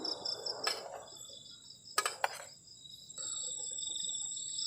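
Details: Crickets on a cold night beside a garden camping shelter: steady high chirping trills hold beneath sharp clattering knocks and brief scraping noises from nearby camp activity.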